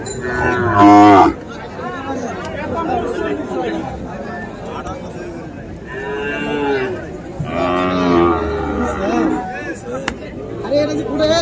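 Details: Sahiwal bull calves at Ambari cattle market on 1 December, bought by a farmer from Chattogram; a loud, harmonic moo opens the recording, followed by longer drawn-out lowing calls over steady crowd chatter and voices.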